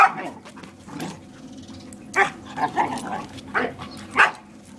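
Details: Borador dog playing with a German Shepherd, barking protectively at it on its owner's behalf; a run of short, sharp barks and yips spaced under a second apart, with faint hum behind.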